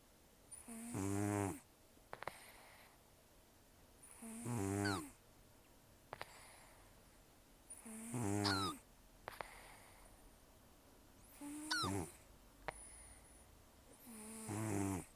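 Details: A sleeping rescue cat named Taro, estimated 10–14 years old and nearly toothless after a long outdoor life, snores heavily: five harsh, rattling breaths recurring about every three and a half seconds, some ending in a whistling nasal squeak.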